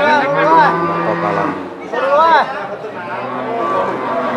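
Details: Very large Limousin cattle at the Kunden livestock market in Wirosari, Central Java: low, drawn-out lowing with harmonic swells, set against a busy market background of overlapping human voices and chatter.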